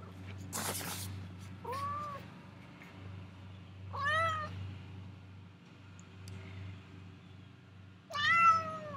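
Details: Domestic cat crying because it wants to go outside; three loud drawn-out meows with rich harmonics, rising then falling, spaced a few seconds apart, over a steady low indoor hum and a brief rustle near the start.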